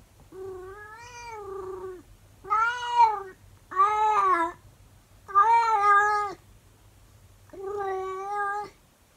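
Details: Monkey, a 24-year-old calico cat, talks to her owner indoors, curious about the camera: five long, drawn-out harmonic howls of one to one and a half seconds, each arching slightly in pitch and separated by short pauses, over a faint low hum.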